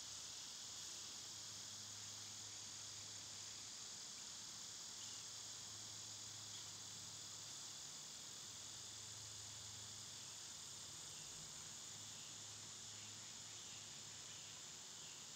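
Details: Summer cicadas keep up a dense, even, high-pitched hiss for the whole stretch, over a faint, wavering low hum.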